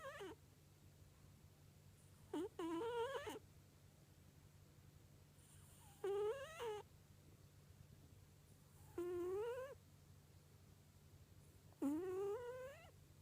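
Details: Cat asleep and snoring "pu-puu": five or six whistled, rising nasal tones repeated about every three seconds, some broken into two parts, against a constant low electrical hum.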